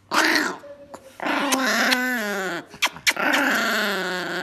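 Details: An angry Chihuahua kept as a pet gives a continuous loud snarling growl that wavers and drops in pitch, broken by a few sharp clicks and yips, then resumes a steady, strained growl.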